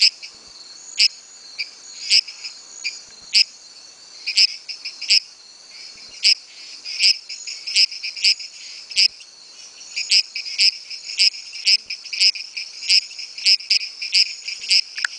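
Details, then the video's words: Dendropsophus microcephalus giving advertisement calls: rapid series of high, sharp creaking notes in irregular bursts, often doubled or tripled, possibly several frogs calling, over a steady high background hum. "advertisement calls Dendropsophus microcephalus"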